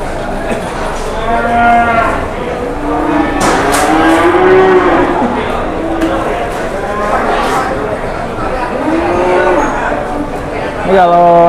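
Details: Lowing from a jumbo cow led around for sale, with a string of long, harmonic-rich moos rising and falling across the stretch and a brief clattering burst midway, while faint chatter runs underneath.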